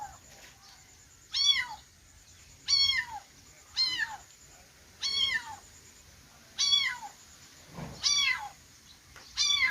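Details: Kittens meowing: seven high, arched, harmonic-rich meows, each rising then falling in pitch, repeated about every second and a half, with a faint steady high whine in the background.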